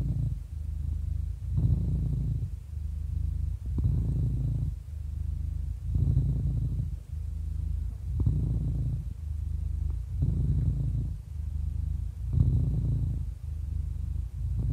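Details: Happy 11-year-old house cat purring close up, a low vibrating drone with rhythmic stronger bursts at each breath, about every two seconds, seven in a row.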